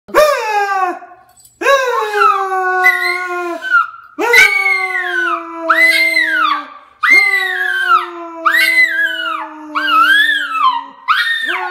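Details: Poodle howling along while its owner sings: long, arched howls that rise and fall in pitch come in about seven phrases with short pauses, over a lower, steady sustained human voice.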